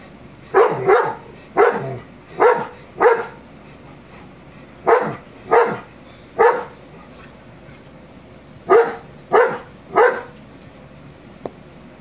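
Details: A 22-month-old male shepherd dog indoors barks at a Rottweiler on television: loud, sharp barks in pairs and triplets, grouped into three bursts with short pauses between, about a dozen barks in all.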